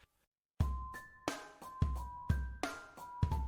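Only music is heard: punchy drum hits with sustained tonal notes, no animal voice.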